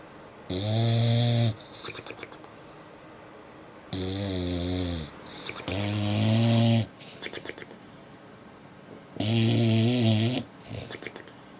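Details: A female dog snores in her sleep. Four deep, rattling, harmonic snores of about one second each come at uneven gaps, separated by soft wheezy breaths.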